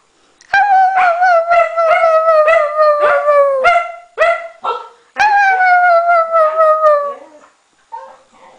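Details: Maddie, a Norwegian Elkhound, sings with a Husky: a run of quavering howls pulsing about twice a second, then one long falling howl and a faint closing yip, with a person coaxing them to sing.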